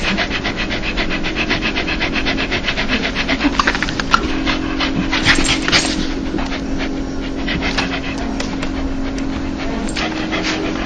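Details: A dog laughing when happy: quick, even panting breaths at first, then a louder, rougher burst of breathy puffs near the middle before the huffs grow softer and sparser, with a steady low hum throughout.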